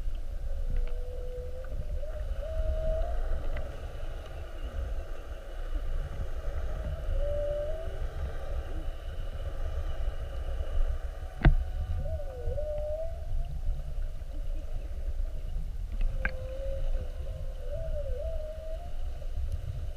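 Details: Whales mugging a whale-watch boat, spy-hopping repeatedly during an hour-long encounter on the 7:30 trip, 21 February 2019, heard underwater: drawn-out wavering moans that rise and dip, about four phrases, over steady low boat rumble and sharp knocks.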